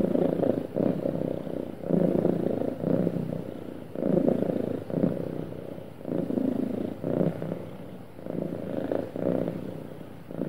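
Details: Happy house cat purring: a soft, throaty rumble pulsing in regular in-out breaths of about a second each, sustained and even across the whole stretch.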